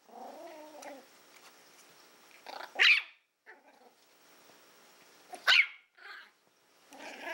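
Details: Willow, a female Toy Fox Terrier born April 2012, playing with a pig's ear: a low, wavering growl opens, then two sharp high yaps about three seconds apart, with quiet rustling between.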